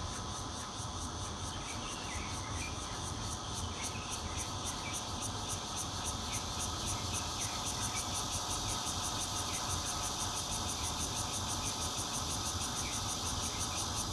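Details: From a fourth-floor home in Zhongli, Taiwan, 16 June 2013, a bear cicada sings into a Nokia Lumia 820: a loud sizzling buzz beating quickly and regularly, the pulsing growing sharper after the first seconds, over low background rumble.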